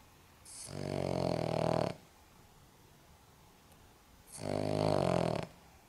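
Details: An elderly Cavalier King Charles Spaniel, aged 14.5 years, snores in long, rasping, low rumbles with quiet pauses between breaths.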